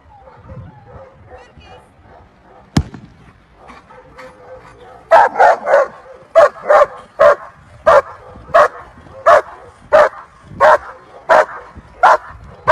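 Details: German Shepherd Felicita v.Schnitzertea, graded VA5 at the 2023 BSZS world championship show, barks loudly in a steady series, roughly one bark every two-thirds of a second, after a few seconds of quiet talk and a sharp click.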